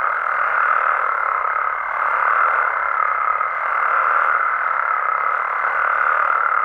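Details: Mexican frogs and toads calling at night in natural amphibian habitat; a dense, unbroken croaking chorus fills the mid range, swelling and easing gently in waves every couple of seconds with no pauses.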